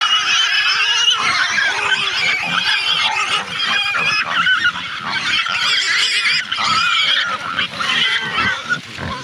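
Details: Pig squealing loudly and almost without pause, shrill overlapping cries rising and falling across nine seconds, possibly several animals together, with no other clear sounds.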